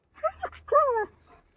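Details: Jack the German Shepherd, trying to reach his friend, gives two brief yips followed by a drawn-out, gently falling whine lasting about a third of a second.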